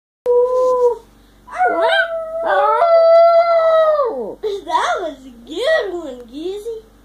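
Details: Two-year-old male Yorkshire terrier kept as a pet, howling like a hound: wavering tonal howls, one held steady for over a second, then a run of rising and falling yodel-like wails.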